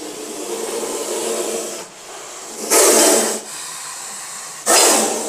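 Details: Venomous cobra rescued from a human settlement, repeatedly lunging to bite: two loud, broadband hissing bursts about two seconds apart, over a softer steady rushing hiss.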